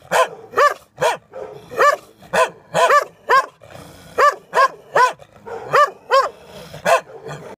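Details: Dogs behind a fence barking frantically, steady run of loud, ringing barks roughly every half second, some doubled, with short gaps and a quiet background.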